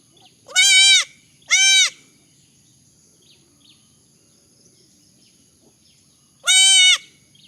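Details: Baby goats bleating: two short, high, nasal cries a second apart, then a long pause and a third matching bleat, each buzzy and slightly arched in pitch, with faint soft chirps between.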